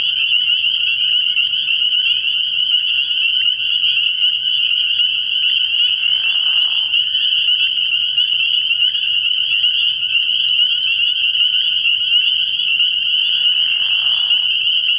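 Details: Dense chorus of spring peepers at a frog pond at night, early in the year: a steady high-pitched wall of overlapping peeps, interrupted twice by short, lower, rough calls from another frog.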